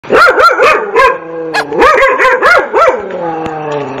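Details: Dog barking in a rapid run of loud, ringing barks, about three per second, each bark arching up and down in pitch, then trailing off into a fading echo.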